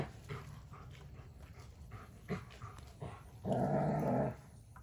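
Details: Odin, a German Shepherd, plays with his favorite toy, a log; faint low rumbles and rustling lead into a single steady, rough growl lasting nearly a second near the end.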